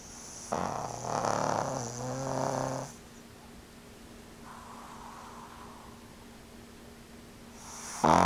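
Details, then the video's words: Two-year-old male pug Franq snoring indoors while watching TV: a loud, rasping, rumbling snore lasting over two seconds, followed by a much fainter, softer breath and then a brief burst of noise at the end. "フランQ の いびき!!!"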